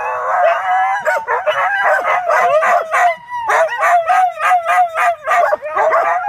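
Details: Cai and Apollo, two pet dogs, howling as Flyn carries on; a steady wavering howl runs under rapid repeated yips and short barks, with brief pauses.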